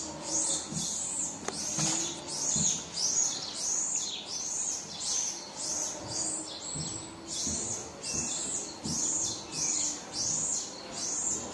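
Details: Crying baby marmoset wanting its mum, giving a long run of shrill, arching squeals in steady succession, about one and a half per second, broken once by a flat held whistle and a click.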